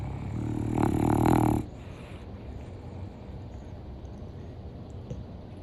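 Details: Asleep indoors, Gluten, an elderly Boston Terrier aged 9½, lets out a single loud, buzzing snore of just over a second, deep and rattling with rich overtones, followed by soft background hiss and near-silence.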